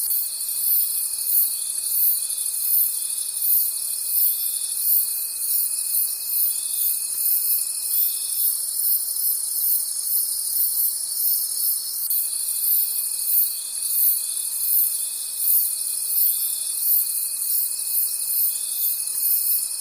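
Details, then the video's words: Crickets calling at night in a forest: a dense, very high-pitched pulsing shimmer that throbs in quick rhythmic waves, over a thin steady whine that drops out midway and then returns. "Forest Sounds and Cricket Conversations at Night"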